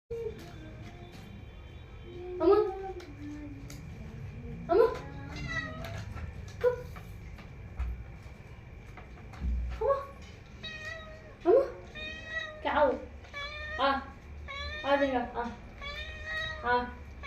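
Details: Cat. A domestic cat gives a series of drawn-out meows, each bending up then down in pitch, answering its owner in a back-and-forth exchange. A person's voice is heard between the calls in a small indoor room.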